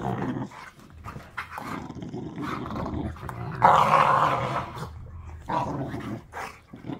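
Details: American Pit Bull Terriers play-wrestle with rough, rumbling growls and snarls: a puppy still with baby teeth grabs at and chews on a tolerant rescue pit bull.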